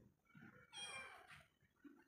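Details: A domestic cat lets out one bright, rising-then-falling meow. A person talks quietly before and after it, calling the cat over.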